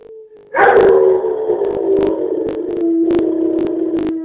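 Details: Pet dog howling in a weak, unconvincing way: a brief quiet tone, then a loud, sustained, slightly wavering mid-pitched howl with strong overtones, broken by repeated crackling clicks throughout.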